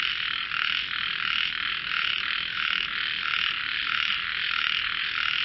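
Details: Chorus of frogs singing as if in a melodious voice competition: continuous overlapping trills and raspy croaks pulsing roughly every half second, many voices blending into one steady wall of sound.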